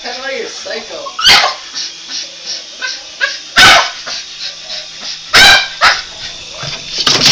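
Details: A Boston Terrier goes after a helicopter, giving sharp, harsh barks every couple of seconds over the helicopter's steady motor whine while voices urge it on.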